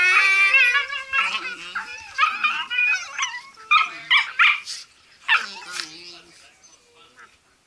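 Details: Playing Blue Heelers produce a run of high, wavering whines and yelps, several bursts per second, tapering off over the last couple of seconds; a human voice mixes in.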